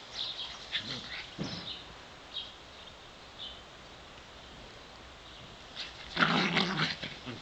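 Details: Davey and Brodie, two dogs of 7 and 8 years, romping in a back yard in the sun; short scattered rough bursts open the clip, then a quiet stretch, then a louder broadband growling scuffle near the end.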